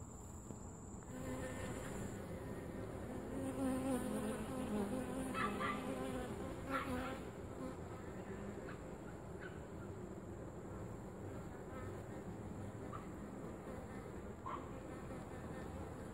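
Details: Bees at a top bar hive during inspection and feeding, giving a continuous droning buzz that swells and wavers in pitch. Occasional knocks and clicks from handling sound over it, with a thin steady high whine.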